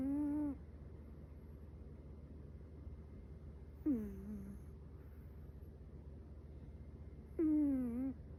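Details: Chihuahua puppy named Metaru, asleep, snoring in soft nasal whines: three tonal squeaky hums, each about half a second, sliding slightly downward, roughly every three and a half seconds over a quiet low hum.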